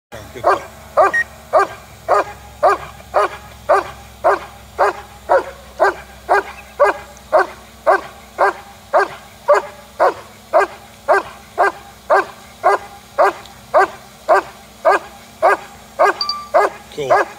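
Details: A German Shepherd barks in a steady, insistent series, about two deep barks every second, at what is described as a U.F.O.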